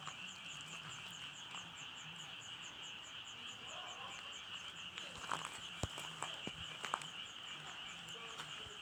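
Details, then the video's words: Dense frog chorus, continuous shrill trill overlaid with fast regular pulses, a faint low hum underneath and a few sharp clicks near the end. "개구리 울음소리"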